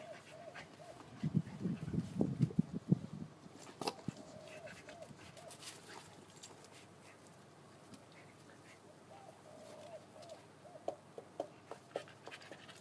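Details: Golden retriever puppy, three months old, wanting to play with an uninterested older dog: a rumbling growly burst for about two seconds, then thin, higher whines and small yelps later, with scuffling sounds in a room.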